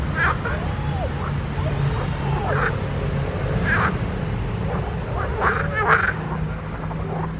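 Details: Frogs in a pond give scattered croaks: a few looping, arched notes and sharper bursts separated by short pauses, over a steady low drone.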